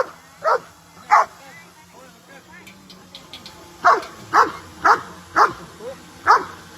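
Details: Dogs running and playing happily, giving a series of sharp, loud barks, two early then five in quick succession after a pause, with faint speech in the background.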